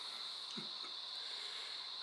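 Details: Crickets, or possibly cicadas, at night outside a hotel room in Queensland give a steady, high-pitched ringing trill that runs unbroken throughout.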